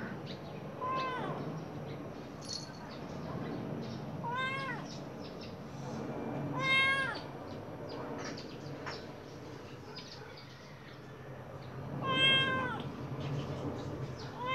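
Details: Khao Manee cat with golden eyes, gazing outdoors, meows repeatedly at irregular intervals. The calls are drawn-out, bending tones, some soft and some louder, over a low constant hum.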